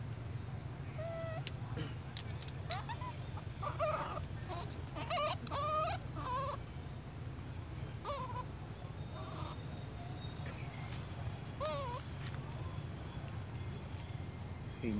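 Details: Baby monkey crying loudly because it wants milk from its mother: a run of shrill, wavering squeals with bent, rising-falling tones, some rapid bursts clustered together, over a steady low rumble of background noise.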